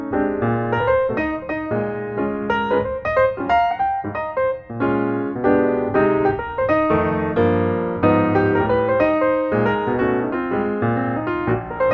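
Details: Lively electric piano music fills the whole stretch, with no animal voice.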